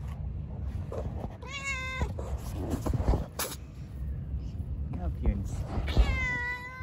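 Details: Cats living in a park meow loudly: two drawn-out, harmonic-rich meows, one early and one at the end, each about half a second, with Turkish speech and outdoor urban noise in between.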